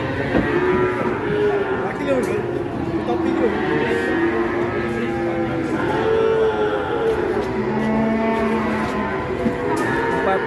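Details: A giant Pegon bull or cow gives drawn-out, low, harmonic moos that rise and fall over a continuous bed of music, with a faint murmur of voices in the background.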